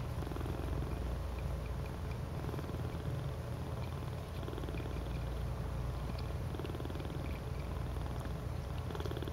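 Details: Cuddling domestic cats forming a "cuddle puddle" purr loudly and continuously, a deep, fast-throbbing rumble that barely pauses, with faint high ticks and slight rustling in the background.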